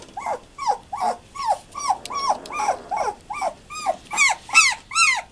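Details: Young German Shepherd pups, twelve days old, whose parents are Fan-Widi's Hippi and Koby von Fidelius, cry in loud, evenly spaced squeals that each bend downward, repeated roughly every half second, in a small room.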